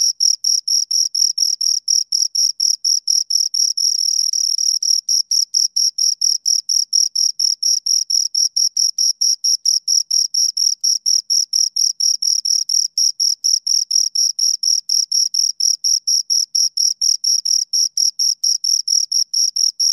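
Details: Continuous chirping from two crickets: sharp, high, rhythmic pulses roughly four each second, with a brief blurred stretch near four seconds before the even beat resumes; no background noise.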